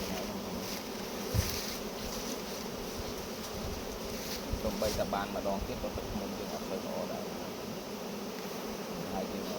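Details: Low, steady droning of a mass of honey bees during honey collection, the hum unbroken throughout, with a man talking briefly midway and a few sharp taps.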